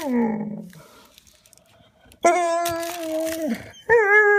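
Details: Frustrated Vizsla wanting a toy: a falling whine, a pause, then a loud sustained high whine holding steady for over a second before dropping, followed by another sharp rising whine.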